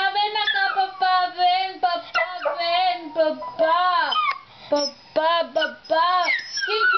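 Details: Pet dog howling at its dad indoors; a series of loud, wavering howls rises and falls in pitch, broken into short bursts with brief pauses between them.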